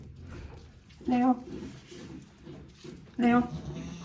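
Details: Goats at the handmade Yoshigake goat farm on 10 March 2024, with Leo, a one-year-old male, and ten-day-old twin male kids crowding around. Two short, nasal, harmonic bleats about two seconds apart, over low background murmur and voices.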